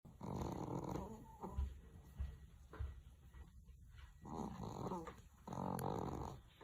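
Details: Chihuahua named the king of snoring, its snores thunder-loud; three rasping, throaty snore bursts about a second long, with quieter breathing between them and a faint steady hum in the background.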